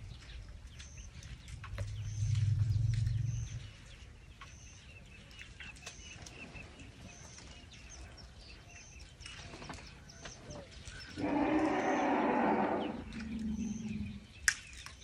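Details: Elephant from a herd outside a tent at night in Tarangire National Park, Tanzania, giving a deep purring rumble that lasts about two seconds, later a louder, broader rumbling burst, with steady insect-like chirps and faint bird calls behind.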